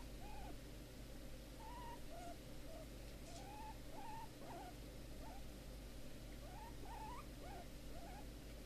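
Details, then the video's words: Big Momma, a hefty female guinea pig rehomed after neglect in a garden shed, now happy when rubbed, gives a steady run of short, rising, whistled squeaks, several per second, over a quiet indoor hum. "Big Momma Guinea Pig Squeaking"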